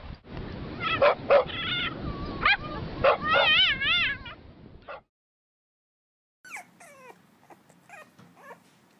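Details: Puppies learning to bark: a run of high, wavering yips and whimpering squeals with rich overtones for about five seconds, a short silence, then fainter rising yelps.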